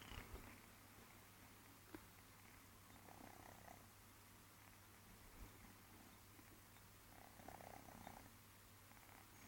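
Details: A new kitten snoring while asleep indoors: very soft, continuous breathy rasping with a low steady hum beneath, swelling into slightly louder breaths now and then, and a faint click early on.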